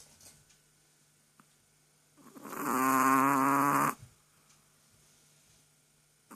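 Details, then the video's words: A sleeping Chihuahua gives one long rasping snore, a buzzy layered breath under two seconds long, set in an otherwise quiet room. "Чихуахуа храпит"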